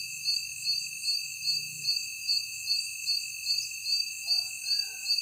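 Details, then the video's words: Nocturnal insect chorus: regular high, shrill beats about every 0.4 seconds ride on a continuous high tone. A soft low hum runs beneath, and a faint brief murmur appears near the end. "Strange Noises of Night Insects"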